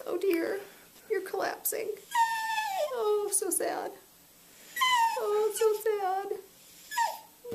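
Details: Beagle ConneryBeagle's mournful yodel-woe, voiced when he wants food: long harmonic wails sliding down from high to low, a pause, then another warbling descending moan, with a person talking over the start.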